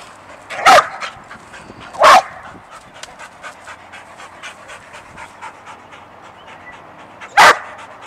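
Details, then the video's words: Excited pet dog Sadie, jumpy over an unseen squirrel, gives three loud sharp barks, two close together then one after a pause, with eager panting between them. "Sadie Gets Excited and Jumpy for an Unseen Squirrel"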